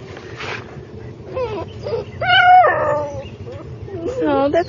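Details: Female puppy, the last girl of her litter still left, staying with her aunt; high whines rise and fall in a few drawn-out cries, some breaking into wavering yelps, over a low background hum.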